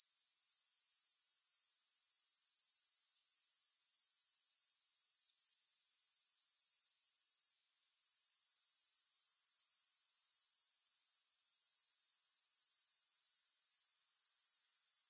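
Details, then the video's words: Shrill, finely pulsed grasshopper trill, recorded for relaxation with no music, runs high and constant, pausing briefly about halfway before resuming at full strength. "3 Hours of Grass Hopper Sounds"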